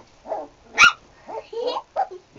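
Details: Sarplaninac dogs: one sharp, loud bark rings out near the middle, set between shorter, softer yelping or whining sounds, with a person's voice mixed in.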